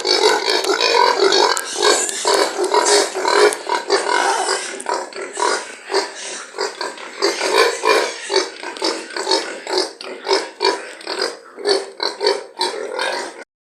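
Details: Several pigs at a pig farm squealing and grunting steadily, harsh bursts repeating roughly twice a second, louder and denser at first, then sharper, more separated cries toward the end.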